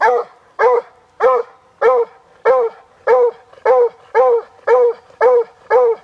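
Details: Rescued Walker Hound, a strain bred for deer hunting, baying at a deer in a Guelph, Ontario park on a hot summer day, 2012; short yelping bays repeated steadily, about ten in six seconds.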